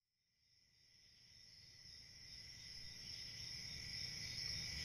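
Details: Crickets on a peaceful country summer night, a dense shrill chorus fading in from silence over the first seconds, then a steady high ringing trill layered with a lower chirring band, over a faint low rumble.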